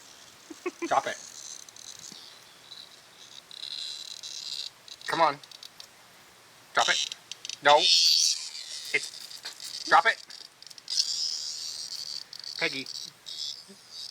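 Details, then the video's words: Cicada trapped in the jaws of Peggy, a pet dog who refuses to drop it, still buzzing: a continuous high, rasping drone rising and falling, overlaid by repeated spoken commands to drop it. "Peggy has a Cicada Bug in her mouth"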